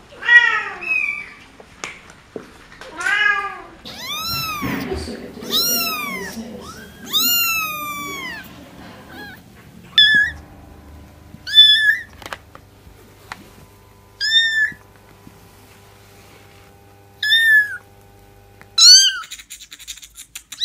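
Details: Kittens and cats meowing indoors: high, arched harmonic mews, some rising then falling, coming in irregular bursts with quiet gaps between, a faint low hum underneath.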